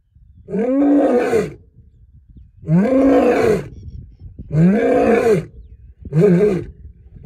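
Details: Wild lion at the Serengeti roaring in a rapid series: four heavy, rasping roars roughly every one and a half to two seconds, the last one shorter, with faint low background noise.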